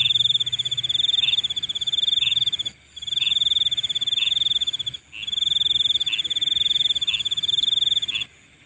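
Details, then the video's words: Nocturnal insect chorus: three long, buzzy pulsed trills of about two and a half seconds each, separated by short pauses, with softer chirps underneath and a steady shrill hum in the background. "Nighttime Insect Sounds"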